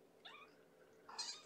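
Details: Hungry kitten, a little girl from Gamora's litter of five Infinity Kittens born April 14th, calling at bedtime bottle feeding indoors; two short high mews, the second brighter and louder, in a quiet room.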